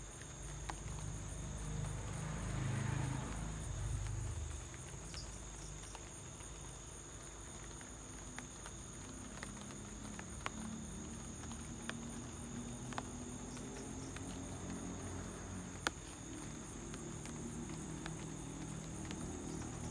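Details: Crickets at home in light rain keep up a constant thin high-pitched trill, while sparse raindrop ticks fall and a brief low rumbling swell rises and fades early on.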